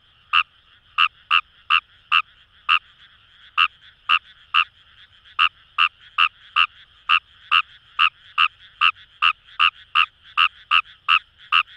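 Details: Kawamura's rice frog from paddy fields by the Kamo River in Itoshima, Fukuoka, Japan, giving about twenty-nine short rasping croaks in bursts with brief pauses between runs, backed by a steady distant chorus of frogs.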